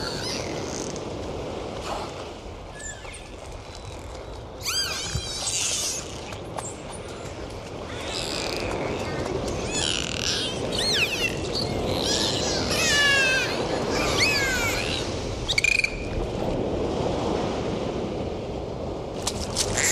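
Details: Dolphins underwater during a dive, trading many sweeping and wavering whistles, some in rapid zigzag series, with sharp scattered clicks throughout and a steady background rush of sea water.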